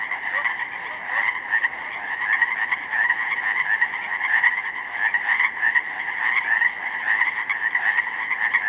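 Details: In spring, on 19 May 2011, in a slough meadow flooded with snowmelt, a dense chorus of countless Pacific chorus frogs gives overlapping raspy ribbits merging into one steady pulsing roar.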